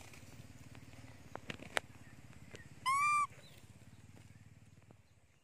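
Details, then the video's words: Janny, a monkey crying for her mother because she is hungry and covering her face with a towel: one loud, brief, tonal scream lasting under half a second, over a steady low rumbling background with a few clicks. "Beautiful Monkey Janny Screaming cry Loudy / Janny Very Hungry on Mom"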